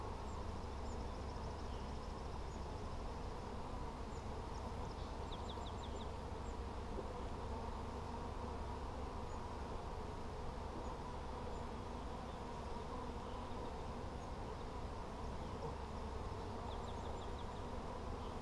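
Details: Honey bees heard during a hive check on 17 July 2020, frames covered with honey: a steady, low, droning hum lasting throughout, with faint high chirps of distant birds now and then.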